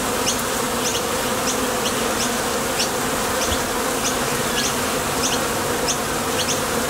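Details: Continuous hum of many honey bees coming and going at a Top Bar Hive entrance on nectar foraging flights, the drone holding steady with brief high zips from bees flying near.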